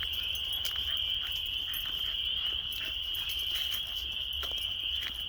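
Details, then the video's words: Hundreds of frogs mating at a local park pond in March as weather warms before spring: a dense, steady high-pitched trilling chorus that blends into one continuous shrill band, with faint scattered clicks and low rumble beneath. "Sounds of Frogs means Spring is Approaching"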